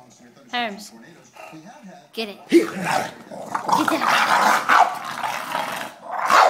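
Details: Pet English Bulldog Herman mock-attacking someone's foot in play. Spanish speech and laughter open the clip, then rough, noisy growling and snuffling take over for the last four seconds.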